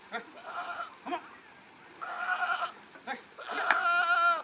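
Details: Farmed goats in Nagaon district, Assam, India, giving a run of short, nasal, quavering bleats that end in one louder, wavering bleat, with faint thumps and knocks between calls.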